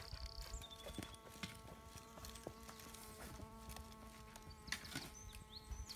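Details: Bee fly (Bombylius major) probing sand, giving a steady, even hum with layered overtones throughout, while high bird chirps and scattered clicks and taps sound in the background.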